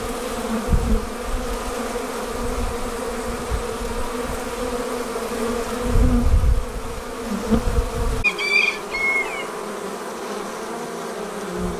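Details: Departing honey bees swarm with a steady harmonic hum and low rumbling gusts; partway through the background shifts and a short high chirping call from another animal sounds over the buzz.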